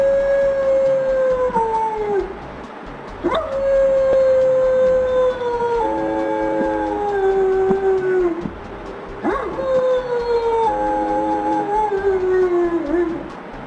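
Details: German Shepherd howling along with wolves: long drawn-out howls sliding slowly downward, overlapping voices in layered harmony, three main waves each lasting several seconds, with brief higher yelps at the starts.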